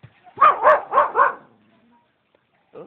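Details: Domestic dog barking at a laughing man as it is let loose toward him: four quick, rounded barks in a tight run, then quiet, with a brief voice at the very end.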